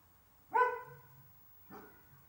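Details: Excited Dalmatians, mother and daughter, reacting as the owner's car stops in front of the house: a single strong, ringing yelp that trails off, then a softer second yelp about a second later.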